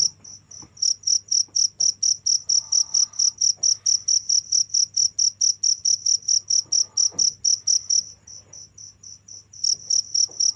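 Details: High, ringing cricket chirps repeat quickly and evenly, then drop out for over a second before the rapid pulsing starts again, with a faint low drone and a few soft clicks behind.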